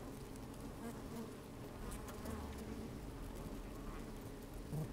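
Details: Inside an open honey bee hive on a sunny, slightly windy day, bees move about with a microphone lowered among them. A dense, low, muffled drone runs throughout, with rumbling low noise beneath and a short louder buzz at the close.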